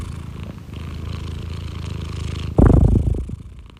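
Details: House cat giving a low, soft purr for about two and a half seconds before a sudden loud rustling bump covers it, then the purr fades.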